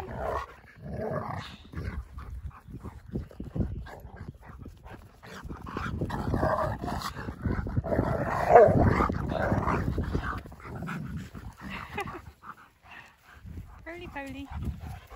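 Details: Pet Siberian Husky, excited as his best friend visits and his favourite words are said, gives a long run of rough, growly, throaty vocalizing with uneven bursts, ending in a short higher whine, with a person's voice nearby.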